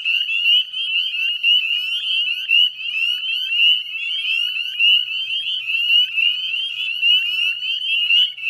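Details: Many northern spring peepers heard at dusk on a May 2020 evening walk beside the Chezzetcook wetlands, Nova Scotia; piercing short rising peeps repeat from all sides, blending into an intense, throbbing high chorus.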